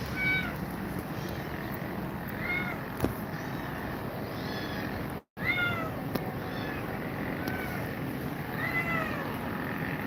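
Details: Grumpy Cat and two mother cats, Grumpy Cat shown as scared of them: a run of repeated short rising-falling meows, roughly one every second or two, over constant low hum, broken by a brief silent cut midway.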